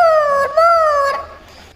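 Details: Little Labrador puppy named Shadow, being given multivitamin and calcium supplements, lets out two drawn-out, tonal whining howls, each fairly steady in pitch with a slight rise, then trails off into quiet.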